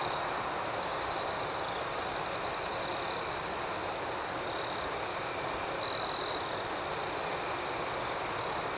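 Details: Nighttime crickets chirping in a dense, even, high-pitched chorus, pulsing several times a second, with a brief louder trill near the end.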